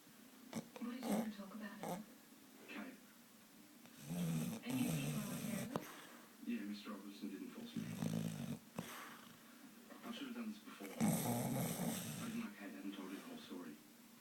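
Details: A pet dog lying asleep on a sofa, snoring: rough, wheezy breaths in uneven bursts that swell and fade every few seconds, with quiet gaps between and some faint background noise.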